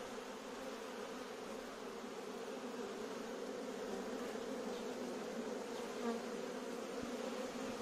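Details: Dense swarm of bees filling a courtyard; a thick, unbroken buzzing drone of countless wingbeats holds steady throughout, with a faint thump near the end.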